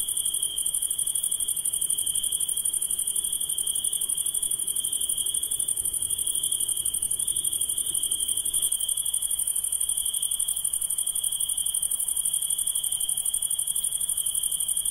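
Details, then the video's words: Insects calling at night: a steady, shrill, unbroken high-pitched trill with a fainter, even higher hiss above it, holding constant throughout with rapid fine pulsing and no other clear sounds. "Relaxing Insects Sound"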